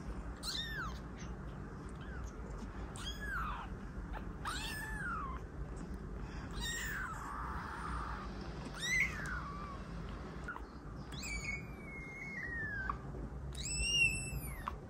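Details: Kitten meows meant to attract cats, a string of thinner, fainter mews of varied length over steady background hiss, including one long level cry and a final high, sharp meow.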